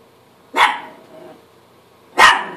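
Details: Chihuahua barking at himself in the mirror; two sharp, bright single barks about one and a half seconds apart, each with a brief trailing echo, in a quiet room.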